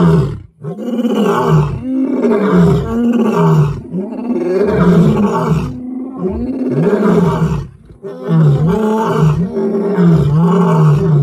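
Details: Lion roaring: a loud, continuous sequence of deep, throaty grunting roars, each a short pulsing heave repeated several times a second, rising and falling in waves with brief dips.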